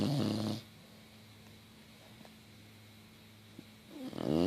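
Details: A female English Bulldog crashed out on a couch with her tongue out snores loudly, with rough, rattling breaths separated by a quiet pause.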